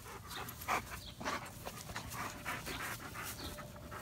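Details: German Shepherd panting: rapid, breathy bursts of hissing breath repeated several times a second, uneven in rhythm, with a faint low background hum.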